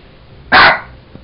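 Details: A single loud, abrupt bark from Sugar, a Jack Russell Terrier having fun with a toy monkey, harsh and bright, fading quickly into a quiet indoor background.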